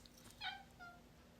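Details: Pet cat meowing indoors as its owner offers treats, lobster or fish; one short, bright harmonic meow lasting about a fifth of a second, then a fainter, thinner cry, with quiet room tone between.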